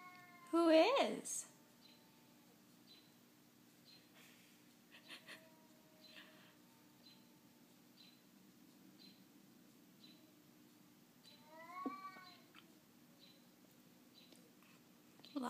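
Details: Cat Crindee meeting another cat through a window as the two chat: one loud meow near the start, a few faint chirpy calls, then a wavering meow around twelve seconds, in a quiet room with a low steady hum.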